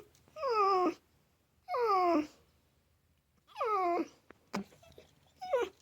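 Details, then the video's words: Mishka Ballou, a talking dog kept indoors, answering which animal is in the shed: three drawn-out harmonic howl-like vocalizations with sliding, wavering pitch, spaced about a second apart, then short clipped ending sounds. "How I test my English-speaking Dog (Real Talking dog, specific answer)"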